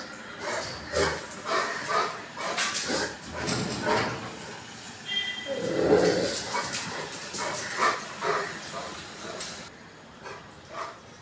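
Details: Rottweiler reacting to suspicious strangers outside the door, giving short gruff barks in irregular bursts about every two seconds, mixed with a few whining yips, with faint human voices behind.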